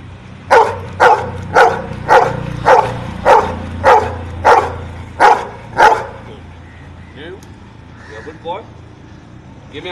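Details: Dog replying to a sum with ten punchy barks at a steady pace over about six seconds, low background hum underneath, then faint human speech as the barking ends.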